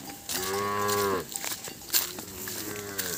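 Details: Cattle calves calling out after losing their mothers: a drawn-out, rich harmonic moo lasting about a second, then a second softer, lower bellow starting shortly after, with faint background clatter.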